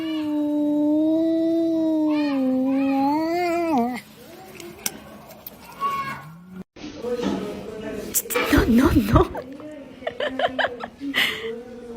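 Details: Domestic cat in a funny cat compilation giving a long, drawn-out yowl lasting about four seconds, steady and then wavering upward, followed by people talking and laughing.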